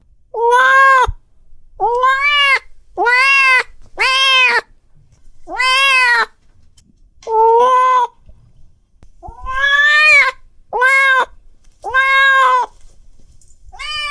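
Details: An angry cat gives loud, drawn-out harmonic yowls, about nine of them, each roughly half a second to a second long, separated by short silences.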